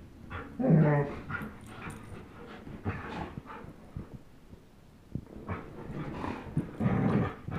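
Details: Tug-of-war play between Chase, a 10.5-month-old German Shepherd, and Blizzard, a one-year-old Old English Sheepdog; one brief loud growl early on, then softer rumbles, panting and scuffling noises.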